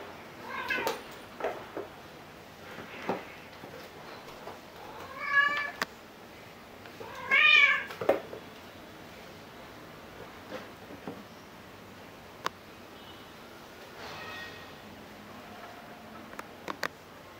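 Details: Rescue cats Angel and Luna, Angel a kitten about four months old, playing chase indoors on 15 December 2018, filmed with a Fujifilm X-T10; scattered short harmonic meows, two louder rising cries midway, amid soft thumps and scampering paws.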